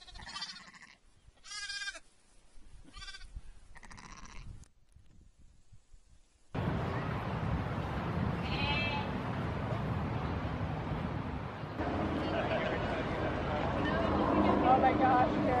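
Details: Young lambs, playful and hopping, give several high, quavering baa bleats in quick succession over the first five seconds. After that a steady loud rushing background takes over, with one more short trembling bleat partway through.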